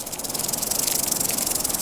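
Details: Rattlesnake in the Grand Canyon, United States, rattling as a warning signal during a confrontation with a coyote: a dry, continuous high buzzing with rapid regular pulses, steady throughout.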